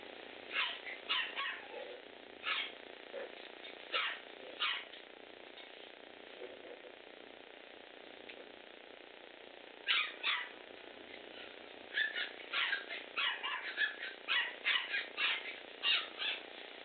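A Bichon Frise gives sharp, high yaps, some single and some in quick runs.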